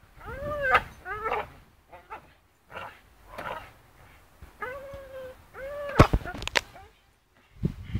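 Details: Charlie, a Staffordshire Bull Terrier, swings on a rope and lets out a run of rising-and-falling whimpers and one drawn-out steady whine, with sharp clicking knocks and low rumbling between calls.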